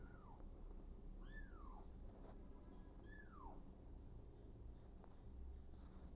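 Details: Abandoned kitten, taken in by mother cat Smokey, calls three times: drawn-out meows that start high and slide steadily downward, spaced about a second apart over a soft background hum.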